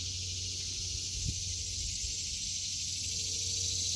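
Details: Cicadas singing in an August 2023 vegetable garden in summer: a steady, dense, hissing buzz held without a break for the whole stretch, over a low constant hum.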